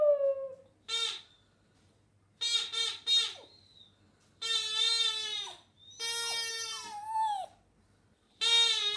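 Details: Hamish, a Border Terrier, singing in bursts: quick stacked yelps and longer bright wails, some ending in downward slides, separated by quiet gaps.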